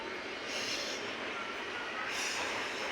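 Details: Steady broadband rushing noise, like a passing train or machinery, with no animal sound.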